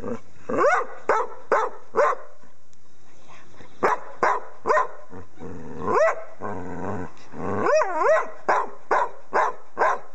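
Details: English Springer Spaniel female, a pet dog, singing her own song: rhythmic series of short yelping barks mixed with rising, wavering howled notes, about two per second, with a longer warbling howl near the end.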